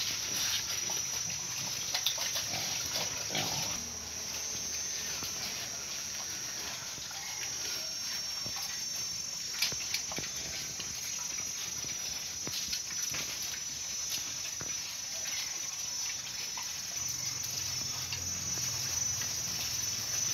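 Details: Hybrid wild boars in Vinh Long, Vietnam, grunt and squeal while being fed giant tea plant (chè khổng lồ), with steady crunching and chewing over a hissing background.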